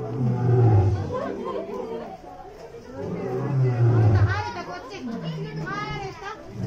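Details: Seram, a male white lion born in 2016, roars at Okinawa Zoo & Museum, Japan, during a Halloween autumn zoo night on 31 October 2020, after licking concrete; not a threat. Deep, drawn-out grunting roars, with people and children chattering.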